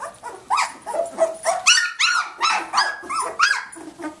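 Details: Playing Samoyed puppies at day 19, Athena's litter; arched squeaky yelps and thin barks come in quick succession, roughly two or three per second, with brief pauses.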